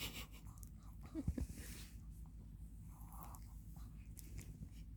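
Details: Three-year-old Maltese named Satang snoring in deep sleep indoors after lively morning play; low rumbling breaths in a small room, with a brief louder snort near the middle.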